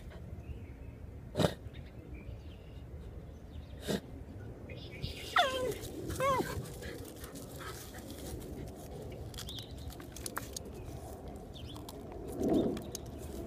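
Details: Buddy, a Dachshund, excavating and weeding outdoors: a pair of short, high, wavering whines bends up and down in the middle, with a lower whimper near the end, among sharp scattered clicks and soft scuffing.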